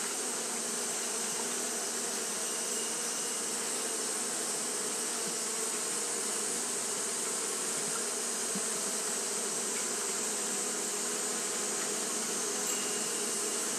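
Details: On a hot day, Japanese honey bees keep up fanning behaviour: a continuous low, humming drone with faint flickers of individual wingbeats, beneath a persistent high-pitched hiss band.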